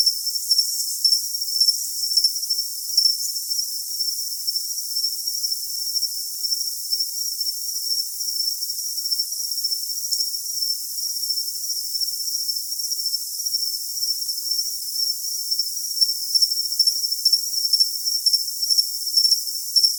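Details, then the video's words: Cricket trill for tinnitus masking: a dense, unbroken high-pitched buzz. Faint pulsed chirps are heard at the start and again in the last few seconds, with only a brief click midway. "Cricket Sound for Tinnitus Masking"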